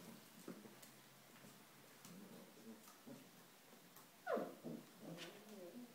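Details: Ellie's five-week-old puppies playing indoors in their whelping box on a rainy day; quiet soft scuffling and shuffling, then one short, high, downward-sliding squeak near the end, followed by faint rustles and small murmurs.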